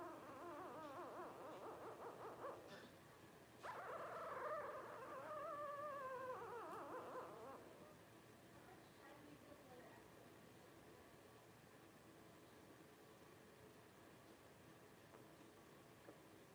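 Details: Young Blenheim Cavalier King Charles Spaniel puppies, 12 days old, whimper softly, then one gives a clearer wavering falling whine for a few seconds before the litter goes quiet, leaving faint background murmur.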